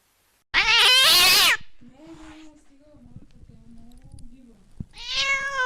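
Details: One loud, strained cat meow, then a stretch of faint, low murmuring sounds. A second bright meow begins at the end.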